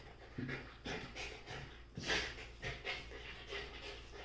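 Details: Play-fighting golden retriever puppies squabbling for a chair give short, airy panting bursts roughly every half second, a louder huff near two seconds, and soft low grunts between them.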